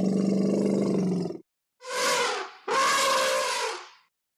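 An Asian elephant gives a deep, throaty rumble, then two loud, brassy trumpet blasts.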